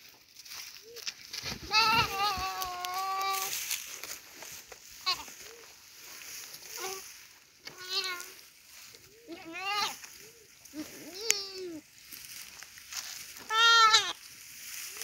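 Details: Goat being eaten alive by a Komodo dragon, giving repeated wavering, strained bleats of varying length, some rising and falling sharply, with voices audible between cries.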